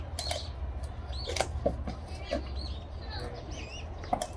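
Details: A female eastern black rhinoceros at a zoo, filmed on 28 March, crunches loudly through thick branches with her large molars, giving sharp, irregular snapping bites over a low rumble.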